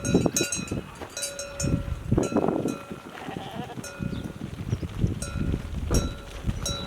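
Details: Flock of sheep arriving, recorded live on a Canon camera left waiting for the flock: ringing bells in steady overlapping strikes, a rough bleat near the middle, and constant shuffling and trampling of many hooves.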